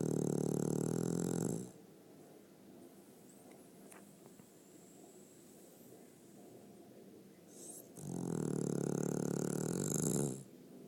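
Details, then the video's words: Pet dog snoring in a small room: two drawn-out, rough, buzzy snore breaths, each about two seconds long, with a long stretch of quiet breathing between them. "Funny Snoring dog"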